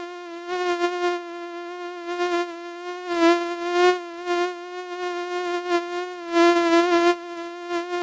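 A mosquito drones in a continuous high-pitched whine, rich in overtones and holding nearly one pitch throughout. The buzz wavers gently in loudness, growing stronger and softer as the insect moves nearer and farther.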